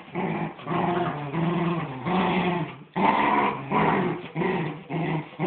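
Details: Two miniature wirehaired dachshunds, a mother and her son, play tug of war indoors, giving low rumbling growls in long harmonic bursts broken by short pauses, swelling and fading roughly every second.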